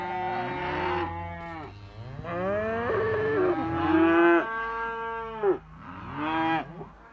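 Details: Young Simmental cattle lowing in overlapping bellows, some held flat and others sliding downward, with one call ending on a bright, sustained tone before a final rising moo.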